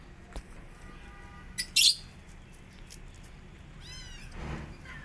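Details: Among five kittens pestering an upset mother cat to nurse, a few faint high meows come through, with one harsh burst near the middle and a clearer wavering meow near the end.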